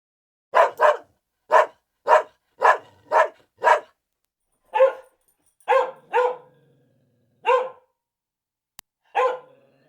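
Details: Steady dog barking: around fourteen short, clipped barks, evenly spaced in the first half, then slower with longer pauses and a small click near the end; otherwise silent.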